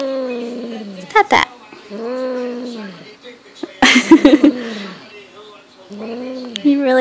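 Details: Young Highland Lynx cat, six months old, with a fox tail: three arched, moaning yowls spaced about two seconds apart, broken by sharp clattering bursts and a person speaking Dutch.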